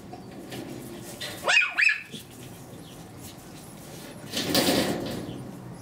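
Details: Two-month-old Pomeranian puppies: two short, high, rising yaps in quick succession, followed a few seconds later by a broad burst of rustling noise.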